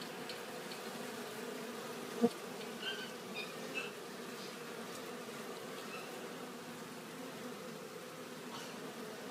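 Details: Honeybees collecting pollen and returning to their hive at Glen Bee Farm: a steady, low droning hum of many wingbeats held throughout, with a few brief taps and clicks just after two seconds and near four seconds.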